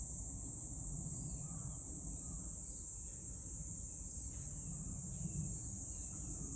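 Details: Cicadas singing in Meguro, Tokyo, Japan, on Tuesday 27 June 2023: one unbroken, high-pitched shrill drone holds steady throughout, over a low rumbling background like distant traffic.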